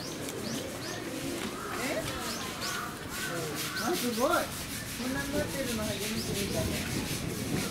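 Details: A zoo-kept Indian crested porcupine (Hystrix indica) at Hamura Zoo, Tokyo, on April 8, 2018 rattles its quills in a dry, rapid, scraping threat display.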